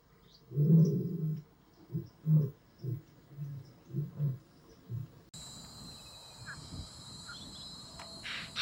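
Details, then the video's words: Lions roaring at night at Blue Canyon Private Game Reserve, males and lionesses, young males learning from their fathers; a series of short deep grunts fading in loudness, then a cut to quiet rural night noise. "Rulers of the Night Teach Their Sons to Roar"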